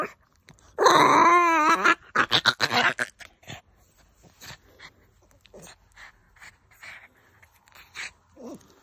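A Boston Terrier gives a loud, wavering, warbling yowl, then a burst of rapid grumbling yips.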